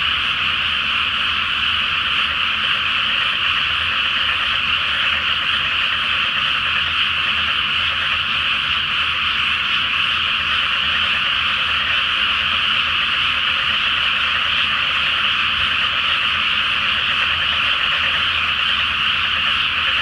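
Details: Night chorus of many frogs from a water-covered rice field ahead of rice planting, full moon overhead; continuous, even, high-pitched massed croaking with no single caller standing out, faint low rumble beneath.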